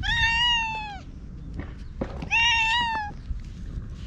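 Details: Two long, steady, bright meows in quick succession, about a second each, from an orange tabby stray cat that chats in cat language and rubs against a person; light handling noise in the gaps.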